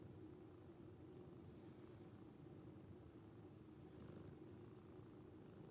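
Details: Rescued calico cat purring while asleep, the purr sounding like snoring; a steady, low, pulsing rumble runs throughout with no breaks, quiet and close.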